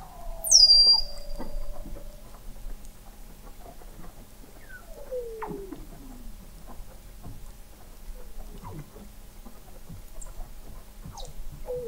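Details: Weddell seals calling under thick sea ice in McMurdo Sound, Antarctica, 21 m below the ice, recorded November 2017 by a fixed underwater observatory: a high sweeping whistle, then descending glides and scattered chirps and clicks from several seals.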